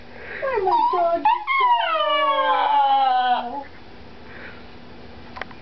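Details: Pet Chihuahua indoors in a small room, howling in long harmonic wails that slide downward and hold, with a brief break partway; a steady low hum runs underneath.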